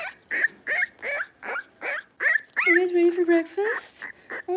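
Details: Litter of five Blenheim Cavalier King Charles Spaniel puppies, born at New Year, barking in an indoor pen: high, sharp little barks repeated about three per second, broken by a longer steady whine, then more barks.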